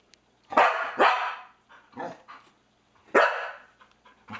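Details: A Norwegian Elkhound indoors barks loudly and harshly at a PS3 pointer on screen, first a fast double bark, then single barks a second or more apart, with softer yips and faint room sounds between.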